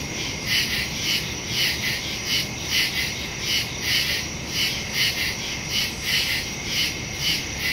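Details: Crickets chirping at night in the woods, recorded September 2 on a phone with a stereo mic; bright, high pulsing chirps repeat regularly, roughly one per second, above a constant shrill hum.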